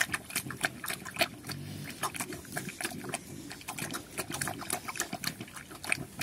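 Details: Young pigs called Chrouk Kandorl in Cambodian, kept on a farm in Cambodia and running around, give soft low grunts beneath a dense, busy patter of sharp clicks and taps.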